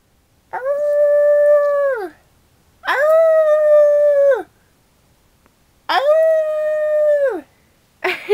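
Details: A 2-year-old female West Highland White Terrier howls in long, level, harmonic notes that drop away at the end; she howls back only at people making horse sounds, not at dog howls.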